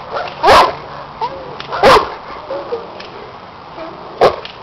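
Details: Cane Corso, seven years old, undergoing a protection work test with a helper wearing a hidden sleeve; three loud barks spaced about 1.5 seconds apart, with quieter sounds between.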